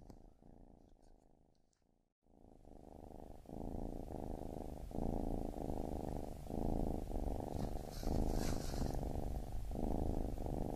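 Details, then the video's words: Baby kitten purr that starts faintly, pauses for a moment near two seconds, then returns louder as a strong pulsing rumble with regular breath breaks about every second. "Baby Kitten Purring"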